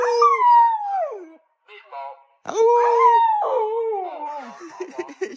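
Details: Pet Siberian Husky howling to demand food as a bread seller arrives; long drawn, wavering howls that slide downward, two main phrases with a short break, a person speaking between them.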